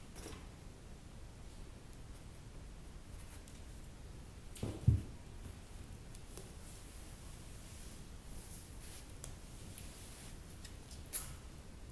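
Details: Quiet indoor room tone with a soft thump and a few faint clicks, with no animal voice heard.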